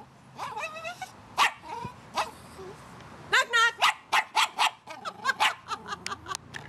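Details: Female terrier barking on cue for a knock-knock joke: scattered yips early, then a rapid string of sharp, high barks in the second half, mixed with a woman's voice.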